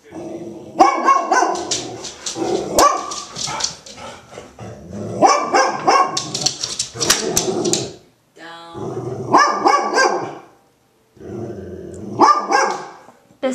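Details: Agitated female Golden Retriever muffling her barks with her blanket; clusters of rough, harmonic barks come in rapid bursts of several seconds, broken by brief pauses, with a faint human voice in the background.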